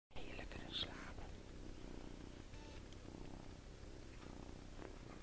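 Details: Tommie, a 7-week-old farm kitten, sleeping in a hand and snoring: soft, low, rhythmic purring breaths, quiet and steady throughout, with faint rustling and a brief higher click early on.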